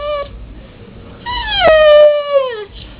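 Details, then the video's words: A dog making a weird noise: a brief high whine, then a longer tonal, harmonic-rich whine that dips, holds steady and slowly slides downward before fading. "dog making weird noise"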